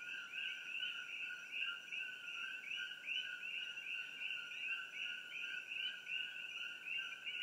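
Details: Coqui frogs calling at night in treetops along Old Mamalahoa Highway near Hilo, Hawaii, near a tropical botanical garden, recorded on an iPhone; overlapping two-note co-qui calls, a steady tone then a rising upper note, repeated in a dense chorus.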